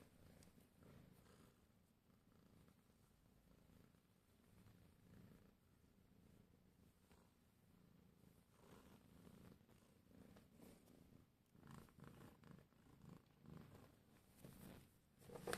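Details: Contented domestic cat purring, pleased to see someone. A quiet, continuous low throbbing rumble runs throughout, with faint rustles and brief louder bursts near the end.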